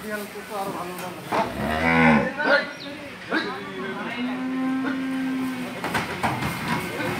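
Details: Dairy cow at a Bangladeshi farm during the sale of two cows to a buyer from Patuakhali: one long, deep, harmonic-rich moo swelling and fading over about a second, with people talking and farm clatter around it.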